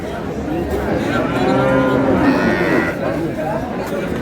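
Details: Cow with calf at Ambari livestock market, Dinajpur, on 20 April 2026; one long, steady lowing moo of about two seconds, over a crowd's murmur and bargaining voices.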